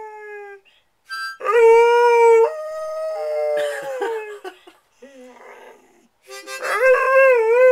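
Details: Squirt the dog howls along with harmonica blues. Sustained, steady-pitched wails alternate with short yips and a final rising, wavering howl, overlapping the harmonica.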